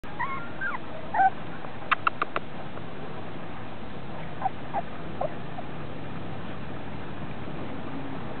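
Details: Red poodle puppies, three weeks old, outside for the first time; short high whimpering squeaks and yips in scattered bursts, some sharp clicks in between, over a steady low rumbling background.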